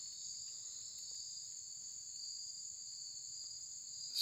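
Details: Cicadas, described as absurdly loud troublemakers, give a continuous high, steady, shrill drone with two unbroken pitch bands and no pauses, ending with a brief knock of handling.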